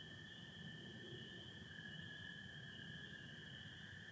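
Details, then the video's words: Chorusing spring peepers alongside American toads on an April night in Michigan under stars and satellites; two continuous high tonal bands stream without pause over soft low-pitched noise. "Sounds of spring peepers and american toads"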